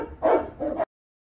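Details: Hungry Rottweiler puppies from a litter of eleven, just dewormed, squealing and begging for food: two quick whiny yelps, the first louder and the second softer, then an abrupt stop into silence.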